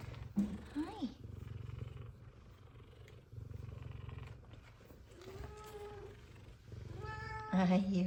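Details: Two F2 Savannah cats greeting their returning owner happily, one purring and one meowing. A rhythmic low purr in bursts fills the background while several rising-and-falling meows break through, with a woman talking affectionately.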